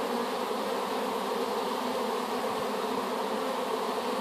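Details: Many honey bees humming together just after a swarm taken from an apple tree was put into a hive; a constant, thick buzz with no pauses.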